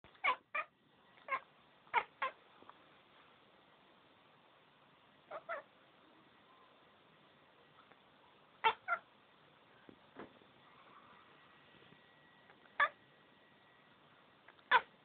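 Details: Domestic cat "barking" indoors at birds outside the window: short, sharp, clicking bursts given singly or in quick pairs at irregular intervals over fifteen seconds, against a faint steady background hum.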